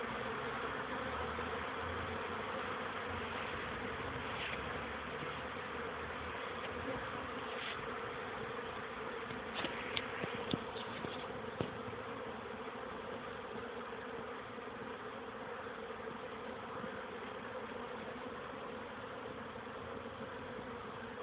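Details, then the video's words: A crowd of young honey bees in orientation flight at 14:04 on 13 May 2013, warm weather following cool rain. A thick, continuous buzz with a few brief clicks and ticks near the middle. "oblot młodej pszczoły"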